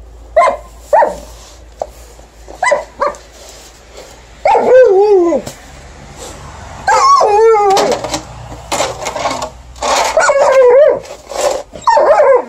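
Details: A female Alaskan Malamute, on a December night after fresh snow, protests the snow being shovelled with loud, wavering, yodel-like howls and short barks.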